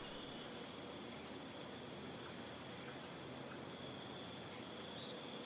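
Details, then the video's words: Crickets chirping in a wheat field, an unbroken shrill chorus holding two steady high tones with a wash of airy background noise, and a single sharper chirp standing out near the end. "Crickets in a Wheat Field"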